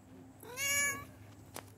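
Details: Korat cat meowing like a baby: one clear, harmonic-rich meow lasting about half a second, rising then dropping, followed by a short click in a quiet room.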